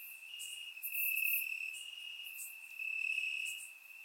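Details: Night chorus of crickets in Bulgarian grass on a warm summer evening, surround-miked: continuous high-pitched trilling with soft pulsing swells, brief sharper chirps flickering above it.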